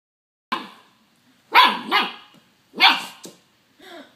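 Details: Young puppy barking at a doorstop it is fighting and biting: a few short, sharp yappy barks in quick pairs, with pauses of about a second between bursts.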